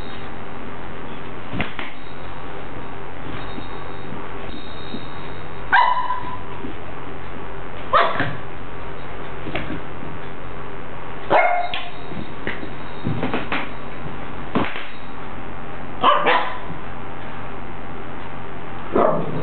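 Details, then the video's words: Pet dog Xio barking at balloons: a series of sharp, clipped barks every two to three seconds, some in quick pairs, over a steady low room hum. "Xio barking on baloons"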